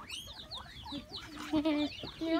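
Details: Many guinea pigs crowded together at Fureai doubutsu en zoo in Sodegaura, Chiba, Japan, giving a chorus of high, overlapping rising and falling whistles, with a few lower steady squeaky tones breaking through near the end.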